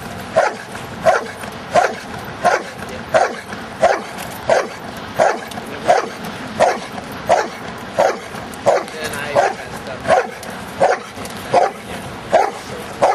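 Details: Giant schnauzer Luther romping through rain and mud gives a long, even series of about eighteen sharp barks, spaced roughly 0.7 seconds apart, with steady background hiss and faint voices.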